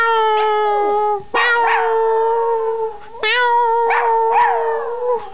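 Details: Young Yorkshire Terrier Howie gives his first-ever howl in response to meowing, long sustained wavering notes that swell and dip in pitch, overlapping with sharper rising yelps, three main howls over five seconds indoors.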